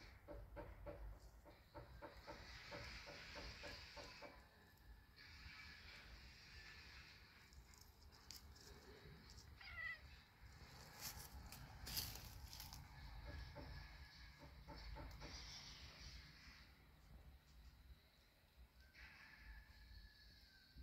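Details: Cat and kitten, described as cute and friendly, giving several drawn-out, harmonic meows in bursts of a few seconds each. Steady low rumble and scattered clicks and knocks run underneath.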